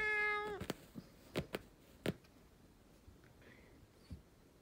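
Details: Three-legged domestic cat meowing indoors to demand food, seemingly wanting a snack: one clear drawn-out harmonic meow at the start, then several sharp knocks and clicks with faint soft sounds afterward.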